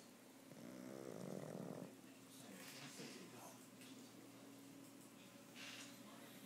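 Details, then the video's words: Goski the dog snoring: one drawn-out, rasping, harmonic snore from about half a second to two seconds, followed by quieter, breathy rustling breaths through the rest of the recording. "Snoring goski"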